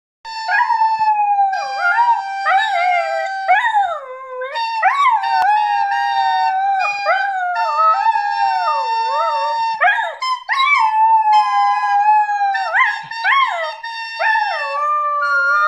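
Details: A 9-month-old female Border Collie howls along with a flute, her voice sliding up and down in long wavering notes.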